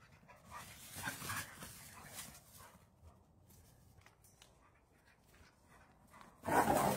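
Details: Rhodesian Ridgeback on its first day home after adoption from an animal shelter: soft, quiet breathy panting in short bursts, fading to near silence, then a sudden loud rustling noise at the end.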